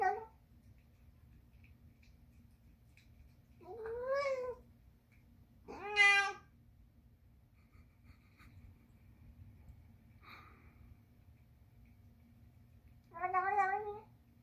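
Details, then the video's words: Persian cat eating Rachael Ray's chicken and liver food, giving high baby-like meows: three harmonic, wavering cries in the first half, a faint chirp, then one more cry near the end, over a steady low indoor hum. "My Persian makes baby noises sometimes"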